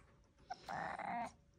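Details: Coco, a Ragdoll cat, talking while on her cat tree, gives one drawn-out, steady meow lasting about half a second in a quiet room.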